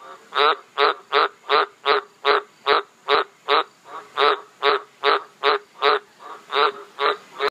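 A frog croaks in a steady series of short, rasping notes, about two each second.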